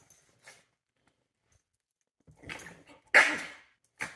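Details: Rescue dogs, a chihuahua and a beagle-dachshund mix, sharing a love-hate relationship at home; scattered scuffling noises build to one loud, sharp yelping bark, followed by a short final burst.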